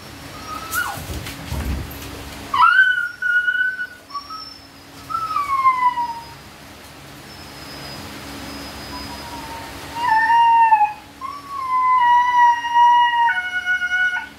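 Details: Siberian Husky during natural mating, giving high, drawn-out whining cries that slide and fall in pitch, several separate tonal whines with quiet gaps between, over a faint low steady hum.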